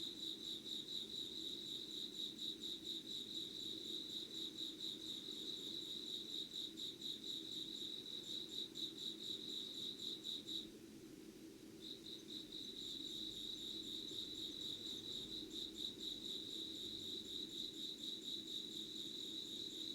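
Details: Insects singing at 5:00 on 25 August 2019 in Yugawara, Kanagawa, Japan, candlelit and unedited: high rapid pulsed chirping that stops for about two seconds midway, then resumes, over faint low background hum.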